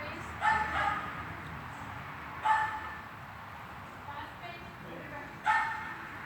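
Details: During a hall training session on 13 August 2021 a dog lets out three or four loud, isolated barks spaced a couple of seconds apart, with reverberation and faint background noise.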